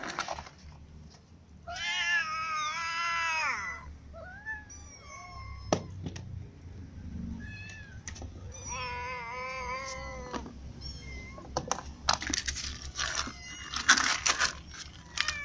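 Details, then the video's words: Ginger cat protesting that another cat eats every bit of its food, uttering long, strained, bending meows and shorter chirping cries, with scattered clatter and thumps toward the end. "Ginger cat is annoyed because every food for him is eaten by another cat"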